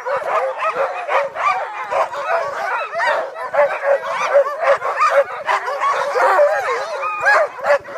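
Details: A pack of sled dogs at Menogyn barks and yips together in an excited, overlapping chorus outdoors by a hill.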